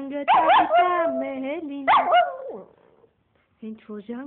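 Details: A Yorkshire Terrier "singing dog" gives drawn-out, wavering, tuneful howls, with a person's voice and singing close by.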